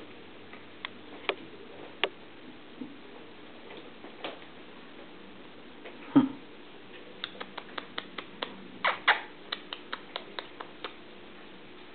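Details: Quiet indoor room with scattered light taps, clicks and knocks, like small objects or paws striking surfaces, over a low steady hum; no animal voices.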